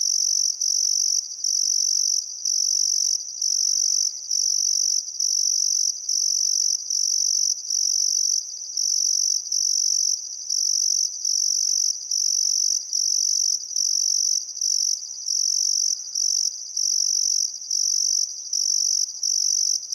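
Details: Australian crickets on a calm summer evening by the Barcoo River, Welford National Park, Outback Queensland, trilling in long high bursts separated by short regular breaks, around seventy per minute; a faint bird call surfaces briefly.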